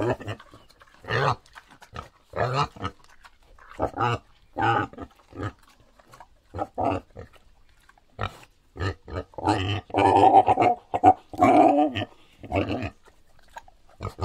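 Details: Wild boar (Sus scrofa), grunts and squeals.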